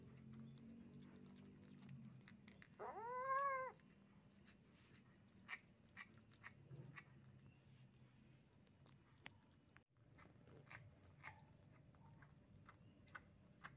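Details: While eating sticky steamed shark meat caught on a fishing trip, a kitten lets out a single short arched meow midway, surrounded by soft chewing clicks and low room hum.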